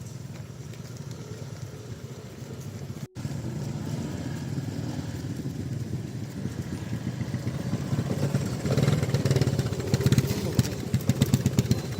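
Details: A motorcycle engine rumbles continuously outdoors, briefly cutting out once, then growing louder toward the end.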